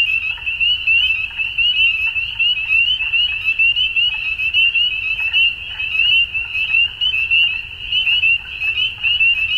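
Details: Frogs calling at dusk: a dense, unbroken chorus of many overlapping high trilled calls, with loudness pulsing up and down every second or so and a soft low rumble underneath.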